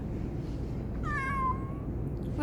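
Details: A domestic cat answering its owner with a drawn-out meow, sliding down in pitch and lasting about a second, over a low indoor hum; a person's voice is heard at the end.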